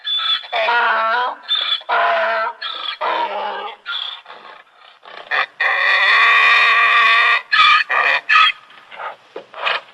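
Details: Donkey braying in uneven harmonic bursts, then a long sustained rasping note followed by several short sharp pulses, with brief gaps between phrases.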